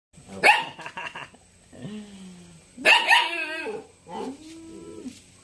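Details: Three-month-old jet-black Belgian Malinois puppy giving loud, rough barks followed by drawn-out whining yelps that slide downward, about four vocal bursts in quick succession with short pauses between them.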